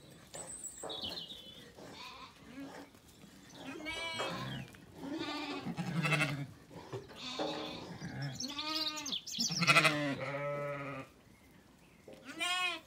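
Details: Zwartbles sheep on a farm in County Kilkenny, Ireland, after feeding at sunset, a lamb calling and ewes answering as they settle for the night; repeated wavering bleats, some high and thin, others deeper, overlapping.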